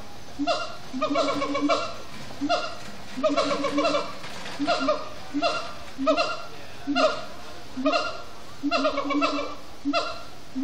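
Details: At Disney's Animal Kingdom at sundown, siamang gibbons chant after brief frenetic play, with rhythmic volleys of loud, rough, barking hoots repeated roughly every second, steady and pulsing throughout.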